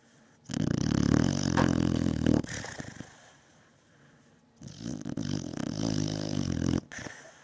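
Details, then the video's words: Pet Beagle Batman snoring loudly in a deep sleep, two drawn-out, low, rattling snores of about two seconds each, separated by a quiet pause of soft breathing. "Beagle snoring"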